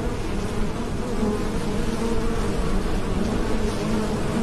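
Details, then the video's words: Short stretch of bees humming, a low continuous drone that swells slightly after the first second and stays even. "The bee's sound"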